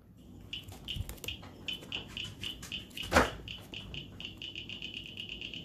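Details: Cricket frogs from Iowa, which call in spring as it warms, give rapid, clicking calls like steel balls knocked together, quickening into a steady series.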